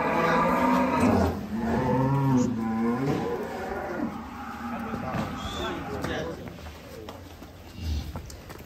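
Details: Giant cattle coming down from a truck at a farm, one of three said to be agitated: a long, loud, wavering moo lasting about three seconds opens the clip, followed by clatter and people talking.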